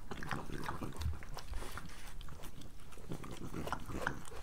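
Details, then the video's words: Close chewing and smacking from a pregnant French Bulldog at breakfast, dense and continuous crunching with soft snuffles. "Pregnant French Bulldog ASMR"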